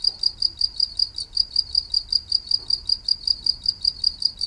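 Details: Cricket calling steadily, each shrill, high chirp repeated about two and a half times per second in a regular pulsing train, with faint low background rumble.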